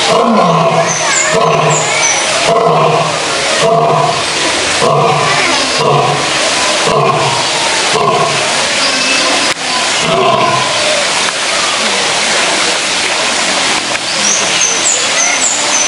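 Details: Zoo lions, males, in their daily roaring routine: a long sequence of short, deep grunting roars repeated roughly every second and a half, tapering through the middle, with high chirping notes and constant background hiss.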